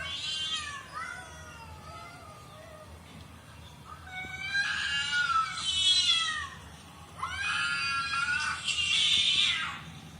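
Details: Meowing from cat videos that a cat is watching: a few softer falling meows early on, then louder, longer, bending meows in two bursts near the end.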